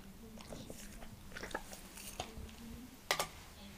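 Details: Indoors, Montana the Leonberger bites into an apple. Brief crisp crunches and wet chewing clicks are scattered over a few seconds, and one sharp snap stands out near the end.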